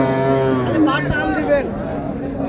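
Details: Dairy cows and calves at Raniganj cattle market in Dinajpur, Bangladesh: a low, harmonic-rich moo holds steady then wavers and breaks upward, over constant market crowd noise.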